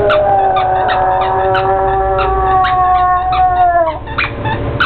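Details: Pug howling at his squeaky toy, a long sustained tonal howl with steady harmonics lasting about four seconds, dropping at the end, followed by short yips and whimpers.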